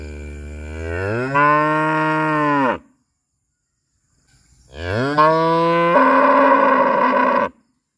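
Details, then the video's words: Two sustained cow moos at Rosulpur, known locally as "amba amba": each starts low, rises, then holds a full harmonic tone for about two seconds, the second becoming rougher and hoarser, with silence between. "Cow Sound, Amba Amba, What Sound Dose The Cow Make"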